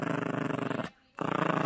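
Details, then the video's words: Yorkshire Terrier puppy in tug-of-war play with a squeaky toy, giving a dense, throaty rattling growl broken by a brief pause, indoors. "Yorkie Growling and playing tug-of-war"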